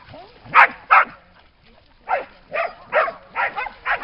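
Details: Dogs beside the lake at Lida Nature Reserve in summer bark loudly and repeatedly: two sharp barks, a short gap, then a steady run of about five more harsh, evenly spaced barks.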